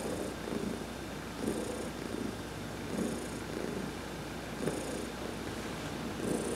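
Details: Heidi the adopted cat, massaged during a sun bath on November 19, 2020, keeps up a long rumbling purr with rhythmic swells about every one to one and a half seconds, accompanied by repeated soft brushing hisses.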